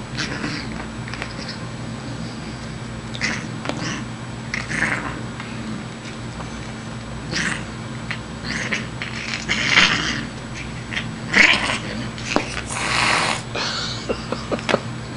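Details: Playful female Siamese cat hissing while batting at a kitty tickler: a string of short, breathy, hissing bursts of uneven spacing, growing louder and denser toward the end, over a low steady hum.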